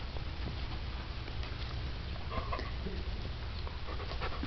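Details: Rottweiler–Husky cross puppy, born to a Rottweiler mother and Husky father, panting indoors: soft, breathy bursts repeating irregularly over a steady low rumbling background.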